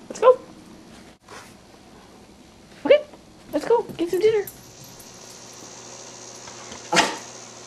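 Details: Indoors, a Cairn Terrier 'discusses' dinner with its owner, giving several brief arched, whiny vocal bursts spaced a few seconds apart, mixed with a person's voice and a sharp sound near the end.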